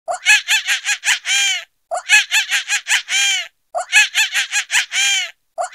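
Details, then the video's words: Monkey giving a laughing call: a burst of five or six quick, harmonic-rich chattering notes ending in a longer drawn-out note. The whole phrase repeats about every two seconds, with short silences between and no other sounds. "Laughing Monkey"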